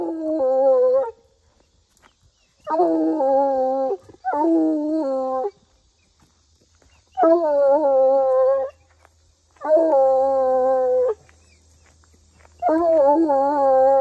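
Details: Coonhound howling throughout a walk after catching a scent: six bursts of loud, wavering harmonic baying, each about one to one and a half seconds, in an irregular series with short silences between, outdoors.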